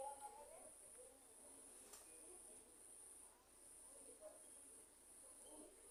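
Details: Crickets at night during a lightning storm, giving a continuous, even, very high-pitched trill that holds steady throughout, with faint low murmuring voices underneath.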